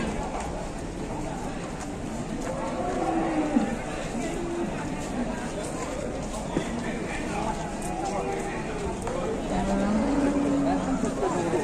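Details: A large cow in Indonesia gives short, steady low moos around the three-second mark and again near ten seconds, under continuous human talk and a broad background hum.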